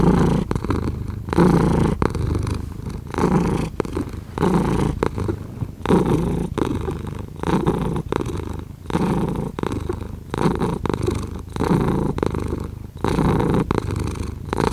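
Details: Close, loud purring from a cat, a grainy low drone pulsing in and out about forty times per minute, breath after breath without pause.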